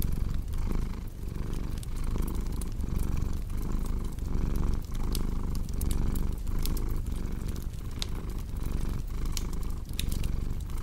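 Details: Cat purring steadily, a low rumbling pulse that swells and fades about twice a second with each breath, over sharp snaps and pops of a crackling fireplace.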